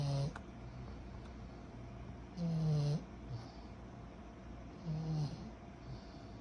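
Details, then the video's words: Sleeping 14-month-old pug puppy Kyro: short, low, grating snores recurring every two to three seconds, softer and briefer than usual, with a faint sniff between them. "Our SNORING 14 months old PUG PUPPY"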